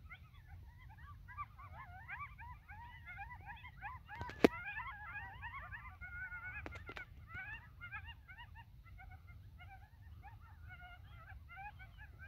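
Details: Coyotes banding together as a riled-up pack minutes after sunset atop North Table Mountain mesa, Colorado: a dense chorus of rapid wavering yelps and quavering howls from many voices, a sharp click near the middle, steady low wind noise.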